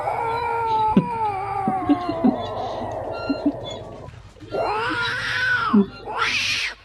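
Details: Cat giving a long, drawn-out wavering meow lasting about three seconds, then after a short gap a rising and falling meow and a final short, harsh cry; faint clicks and background noise.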